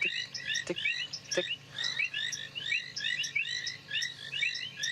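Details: A chorus of painted reed frogs near a dam at sunset on 23 February 2017, after rain, gives short, high, ticking notes, overlapping and repeated without pause, as frogs call to reproduce.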